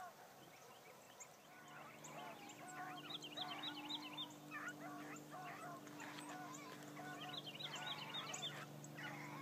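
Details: A young female Blackcreek hound named Bee, running for the first time one morning, gives a string of rapid, rough barks in clusters, over a low steady engine-like hum and high chirps.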